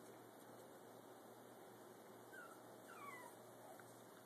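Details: Brussels Griffon puppy Gus, walking for the first time beside his parents Oscar and Athena, lets out two faint descending whimpers a half-second apart against quiet room hum.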